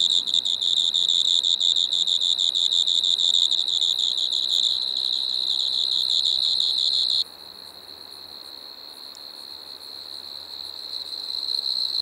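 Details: Striped Marsh-cricket (Pteronemobius lineolatus) at Maggia, Switzerland, 1 September 2023: a continuous high buzzing trill with a fine pulsed texture, stopping abruptly after about seven seconds, then only faint background hiss.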